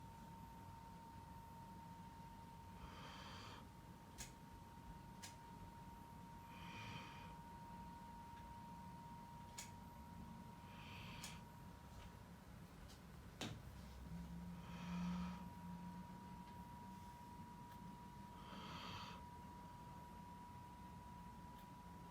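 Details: A dog sleeping after a long play session snores softly, each breathy rasp coming about every four seconds.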